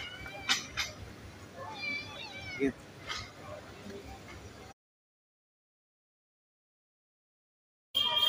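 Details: Hungry cats at a street feeding, kittens among them, calling for food: several short, overlapping high meows over about four seconds while people talk nearby, then a sudden silence and a final noisy burst.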